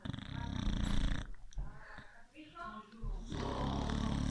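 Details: Beagle asleep and snoring: a deep, rumbling snore fills the opening second and returns for the final second, while people speak and laugh softly in the quieter stretch between.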